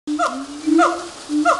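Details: A monkey at Woodland Park Zoo sings tonal hoots: a steady low tone underneath while brighter, downward-sliding wails break in at a quick, regular pace, about every half second.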